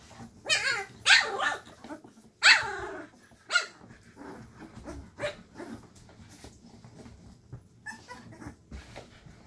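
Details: Litter of 2.5-week-old Llewellin Setter puppies indoors in a box during the evening, roused by their mother; several loud squealing yips with wavering pitch open the recording, then quieter scattered whines and small barks fade out.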